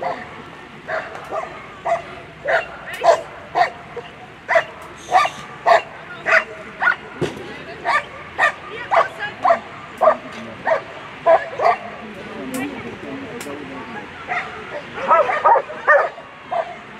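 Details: Excited barking at a German Shepherd world championship agility event, a dense run of sharp barks nearly two per second for most of the stretch, with crowd noise and occasional voices underneath.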